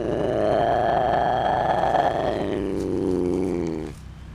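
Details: Captive big cat at a sanctuary, one of the rescued exotic felines showing attitude, gives a loud sustained harmonic growl lasting nearly four seconds, steady then fading and ending abruptly.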